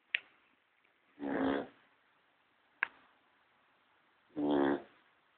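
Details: Sleeping Cocker Spaniel snoring while a second dog sleeps quietly nearby; two harmonic, rasping snores about three seconds apart, each about half a second long, separated by faint clicks.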